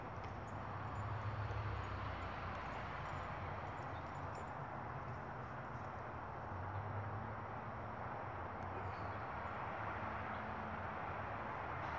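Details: Steady low rumble of a passing train or vehicle fills the recording, with broadband mechanical noise and no animal voice.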